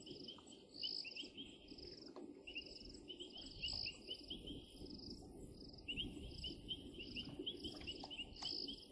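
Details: Painted reed frogs calling at Djuma, 16 January 2023: quick strings of short high notes, joined midway by a very high hissing insect trill, over a low rumbling background.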